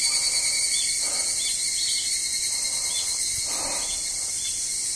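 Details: At Izumi Nature Park, by the parking lot, evening cicadas sing on 20 August 2012, producing an unbroken high, metallic ringing with faint rhythmic pulses layered over it.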